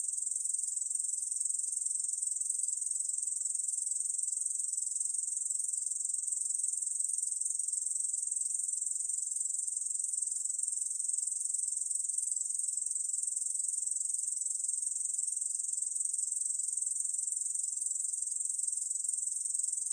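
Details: Steady unbroken song of a Korean bush cricket, 2020 recording: a shrill, hissing, rapidly pulsed buzz held at constant loudness for the full twenty seconds, with no other sounds.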